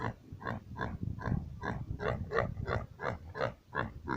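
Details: Pigs at a small pig farm in Assam, India, grunting in a steady run of short, low, rough oinks, close to three per second, with a slightly uneven rhythm and a faint indoor echo.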